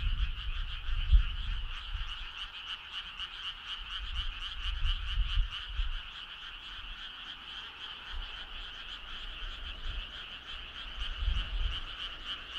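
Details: Frogs in chorus on a summer night, their quick ratcheting trills pulsing nonstop in two high bands, while low thumping rumbles rise and fade beneath them.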